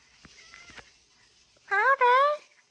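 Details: A talkative female domestic cat answering with a meow when her name is called: one loud two-part harmonic call, a short rise then a longer slightly falling note, preceded by faint quiet voices and taps.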